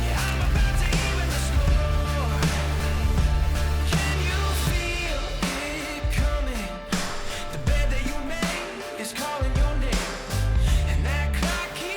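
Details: Full-band pop music with drums, guitar and singing plays throughout, with no animal calls heard. A steady beat and layered instruments fill the whole stretch.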